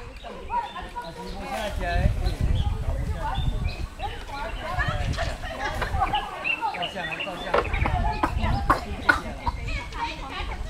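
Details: Formosan rock macaques in Nantou and Changhua counties, Taiwan, give overlapping coos and squeals over low rumbling noise.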